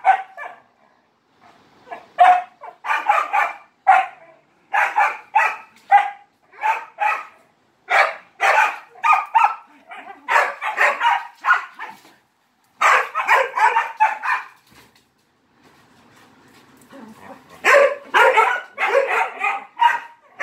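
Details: Barking dog seeking attention while playing with three Malinois: rapid runs of loud, harsh barks in several long bursts, with short quiet gaps and a softer whine near the middle.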